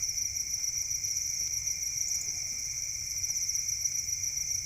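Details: Crickets bred on a farm as songbird food produce a continuous, ringing high chorus, many insects trilling at once in an even drone, with a soft low hum in the background.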